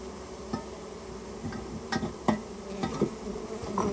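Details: Japanese honey bees buzzing as a colony that nested inside a storehouse is removed; a steady low hum with a clear tone, broken by scattered knocks and thumps.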